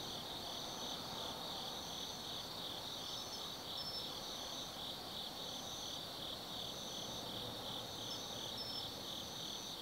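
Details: Autumn-night insects singing in the woods of Tsukimi no Mori above the Nobi Plain, Kaizu, Gifu, Japan: a loud, unbroken high-pitched trill with a higher pulsing strand recurring about every two seconds, low rumble underneath.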